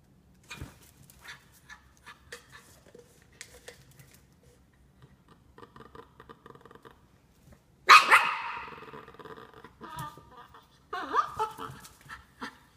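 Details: Norfolk Terrier named Ernie, indoors; a few loud sharp barks near eight and eleven seconds, with quieter clicks and small shuffling sounds beforehand.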